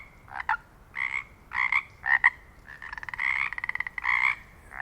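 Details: Pacific chorus frog in the Pacific Northwest giving two-part ribbit calls and a rapid rattling trill, repeated over and over.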